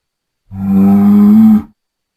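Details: A bull bellowing on a farm: one loud, steady, drawn-out moo lasting just over a second, a low tone holding level with rich overtones, then cutting off abruptly; no other sounds.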